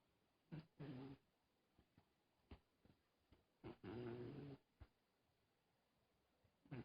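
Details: Sleeping cat snoring softly indoors, low buzzy breaths with a faint harmonic hum, one long rasping inhale-exhale around the middle plus several short snorts, irregularly spaced over seven seconds in a quiet room.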